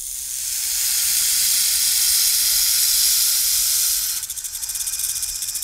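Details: Rattlesnake rattling: a steady, dry, high hissing buzz held for about four seconds, then breaking into a quicker pulsing rattle that stays loud to the end.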